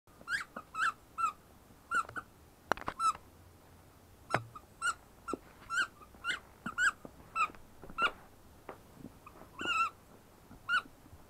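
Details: Ten-week-old female shepherd puppy whining: high, thin, squeaky whimpers with a slight upward bend, repeated steadily about every half second through the whole stretch, with faint thumps and rustling indoors.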